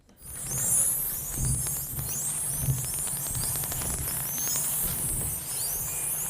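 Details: Many spinner dolphins being squeezed into a tuna net whistle at once. High, rapidly rising and falling whistles overlap into a frantic chorus over bursts of clicks, an unusual cacophony signalling stress.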